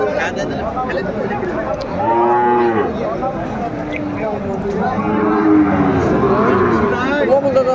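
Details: Sahiwal bulls at the Aftabganj cattle market in Dinajpur, Bangladesh, on 28 January 2025, lowing: a drawn-out, arched, harmonic moo near two seconds and a longer rising-falling one around five seconds, over a busy market background.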